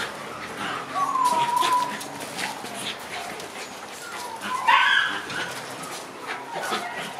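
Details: Black Shiba Inu puppies, six months old, at outdoor play: thin whining whimpers, one drawn-out cry early and a sharper yelp near the middle, amid light rustling background.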